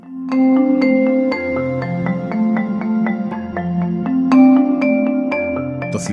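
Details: Melodic mallet-percussion music, vibraphone-like tones over steady low bass notes, plays throughout, with no animal sound.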